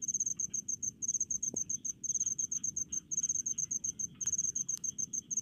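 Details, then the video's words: Cricket of the rice fields giving a continuous, high, rhythmic chirp of rapid pulse groups, several per second, with a weaker lower caller and a few faint clicks. "SUARA JANGKRIK DI PESAWAHAN"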